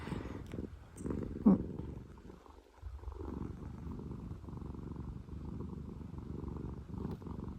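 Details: Relaxed pet cat from the former rescue sisters Pina and Piko purring in a low, soft rumble that briefly fades around the midpoint, then resumes steadily, with a couple of light taps early on.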